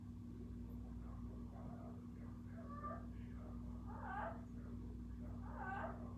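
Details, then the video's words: Kiko, a cat, gives soft, drawn-out vocal sounds that swell and fade, growing stronger toward the end, over a steady low electrical hum. "Kiko making noises."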